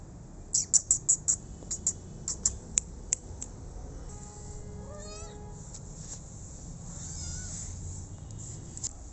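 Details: Rescued street kitten meowing: a harmonic, wavering meow with a wobbly pitch in the middle of the clip, after a run of sharp clicking taps, over a steady low background hum.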